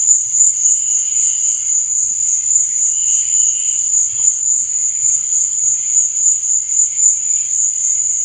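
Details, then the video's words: Crickets chirping at night: a steady high-pitched shrill trill with a gentle pulsing beat of about three to four pulses per second, and faint softer buzzing tones lower down. "Cricket Sound"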